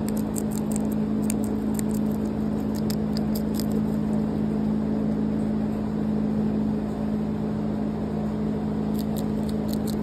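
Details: A guinea pig on a hobby farm chews lettuce with quick, crisp clicking bites over a steady low electrical hum.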